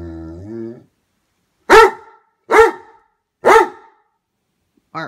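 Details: Great Dane, jealous of his brother, barks three times in steady, booming bursts under a second apart after a person's drawn-out scolding call, and a voice starts again at the close.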